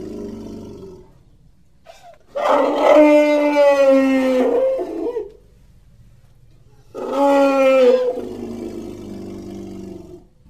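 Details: Baby elephant playing in surrounding nature, giving two drawn-out tonal calls about two seconds each, rich in stacked harmonics and gently falling in pitch, separated by a quiet pause with faint low background hum.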